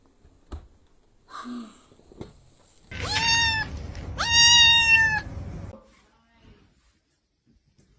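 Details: Pet cat in a compilation of funny cat moments uttering two loud, high-pitched meows in quick succession, the second longer and steadier. Soft faint sounds come before, and the room is quiet afterwards.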